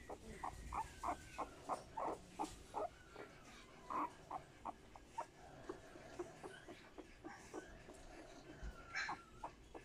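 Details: Young male Boston Terrier, born 12 March 2020, whimpers in a steady run of brief, high, squeaky yelps, roughly three each second, with a few faint longer whines and quiet background noise.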